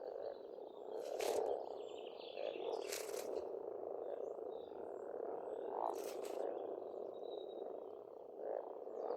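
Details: In spring at a pond in Estonia, frogs keep up an unbroken croaking chorus, individual croaks poking out now and then, punctuated by several short crackling bursts and faint birdsong.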